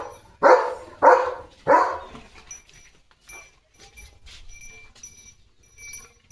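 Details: Leo the German Shepherd, a pet dog playing with a water mug in its mouth, lets out three strong, evenly spaced barks, followed by several seconds of near quiet with faint taps and small noises.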